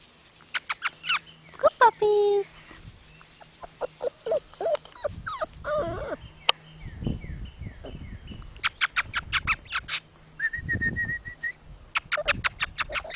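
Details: Labrador Retriever puppies playing on a field: high, wavering whimpering whines early on, then scattered short yelps among bursts of sharp clicking and tapping, with human voices and a series of thin descending chirps in the background.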